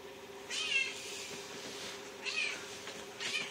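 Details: Pet cat kneading its owner right before bed, giving three short, high meows, the first longest with a rise and fall, the others briefer, over a steady low hum indoors.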